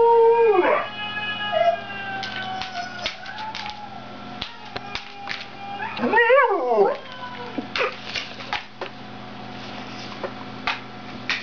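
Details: Siberian husky named Sonata singing indoors: a short falling howl near the start, then scattered clicks and knocks, and a wavering, warbling howl around six seconds that rises and falls in quick steps before fading.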